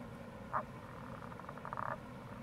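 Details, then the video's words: Tago's brown frog calling in April near a gorge, Kamo River, Itoshima, Fukuoka, Japan: one faint short croak followed by a soft pulsed rattle, half-buried under a constant rushing-water hiss. "Wild Frog Call | タゴガエル"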